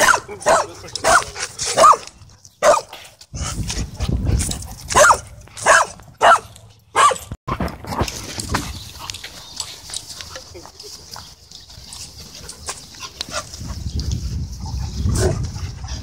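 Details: Dogs playing and wrestling at a dog park: a run of sharp, loud barks, about a dozen in quick bursts over the first seven seconds, then quieter shuffling, panting-like noise and a steady high hiss.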